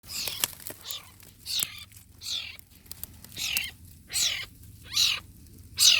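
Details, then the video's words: Wild cat kitten in Borneo at Sei Cuka, giving a string of high, harmonic mews that slide downward, each about half a second long, repeated roughly once a second with uneven spacing. Quiet background. "Anak kucing hutan borneo sei cuka"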